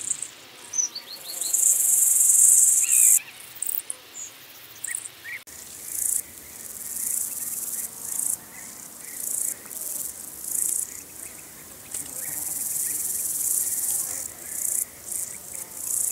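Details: Long-horned Club Grasshopper (Myrmeleotettix antennatus) in Nesvady, Slovakia, on 23 July, picked up with an ultrasound detector: short high hissing bursts, then a long loud buzzy burst, followed by repeated rasping pulses in irregular groups.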